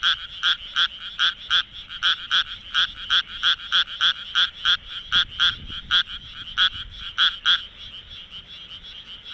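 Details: Night chorus of a Japanese tree frog in Minamitajima, Kawagoe, with its vocal sac working: harsh, clicking croaks repeated roughly every third of a second, fading out near the end, over a quiet low hum.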